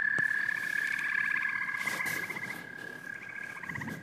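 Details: Amphibian chorus of frogs and toads: rapid ratcheting trills over a sustained high tone. The trills fade partway through and return near the end, with a single sharp knock early on.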